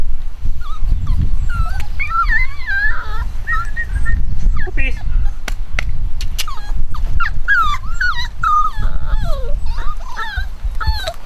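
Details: A litter of nine-week-old chocolate cockapoo puppies, home bred, whimper and squeal constantly: wavering high-pitched whines and yips overlapping through the whole stretch, with a low rumbling background and some faint voices.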